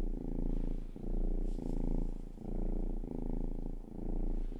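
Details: Rhythmic purr from Rangi, the youngest pet cat, in an ASMR recording: loud, close rumbling pulses swelling and fading with each breath, roughly five cycles, nothing else heard.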